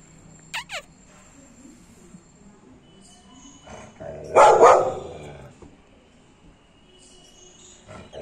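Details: Aggressive American Pit Bull Terrier giving a single loud, rough bark midway through a mostly quiet stretch, with a few brief high squeaky chirps near the start and at the end.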